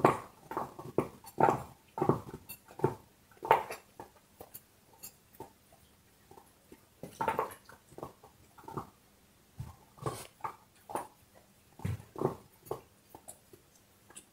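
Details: A dog chewing a bone indoors in a small room: irregular dry crunching and gnawing bursts, some clustered and some spaced by brief pauses, with a quiet gap midway before the chewing resumes.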